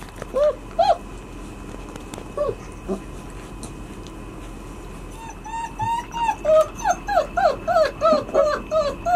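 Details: White Swiss Shepherd puppies, 33 days old, in their puppy cubby, giving high arched whimpers and yips, a few scattered at first, then a rapid run of repeated rising-falling whines, roughly three per second.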